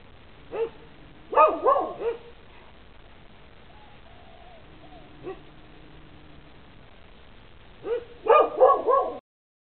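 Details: Dogs on a lanai give bursts of quick, ringing barks, a cluster near the start, a lone bark in the middle, then a fast series of four or five barks at the end.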